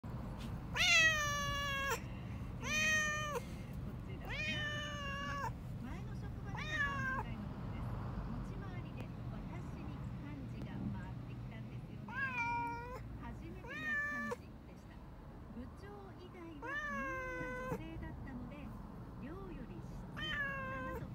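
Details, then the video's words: Two pet cats, black Nero and white Teto, cry while being taken to the vet for castration, protesting after a painful earlier vaccination visit; loud drawn-out harmonic meows repeated every second or two, with a low vehicle rumble underneath and some speech. "病院を嫌がる鳴き声が必死すぎる...Cats crying after castration is painful"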